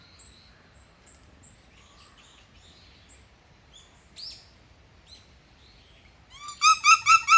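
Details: Captive bush dogs at Yokohama Zoological Gardens Zoorasia, Japan, recorded 21 November 2022; faint scattered high chirps and squeaks, then a loud burst of about five rapid, harmonic-rich squealing calls near the end.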